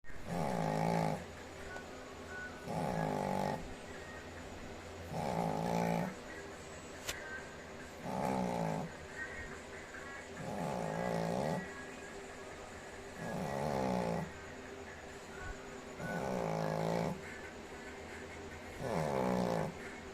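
A sleeping Shih Tzu gives a run of low, rattling snores, each a rough, buzzy breath lasting about a second. They repeat at an even pace, roughly every two and a half seconds, in a quiet room.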